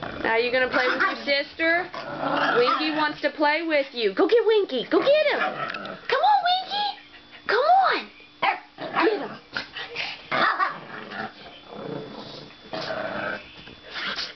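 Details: Dogs playing indoors, a foster dog with its two 'sisters', trade rapid high-pitched play barks and yelps in quick clusters, some rising and falling, while a man talks and cheers them on.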